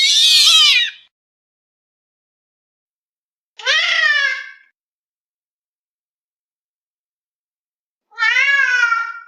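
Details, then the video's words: Domestic cat producing strange vocalisations: a harsh, noisy burst at the start, then two clearer harmonic meows several seconds apart, each sliding upward and falling away, with quiet gaps between. "this weird sound is from a cat"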